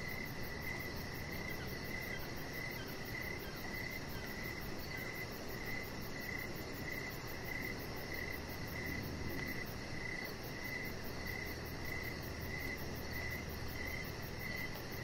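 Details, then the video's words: Evening cricket chorus outside a house deck: short high chirps repeating steadily about twice a second, a rapid fine ticking band above them, and constant soft noise throughout. "Cricket Sounds"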